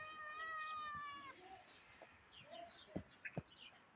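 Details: A tiny grey cat, possibly a stray, gives one drawn-out level meow lasting over a second, followed by faint shorter sounds and a few soft clicks or taps.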